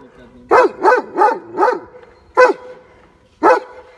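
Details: German Shepherd in Baloda Bazaar Bhatapara, Chhattisgarh, India, barks four times in quick succession, then gives two spaced single barks about a second apart, with a man speaking Hindi faintly before.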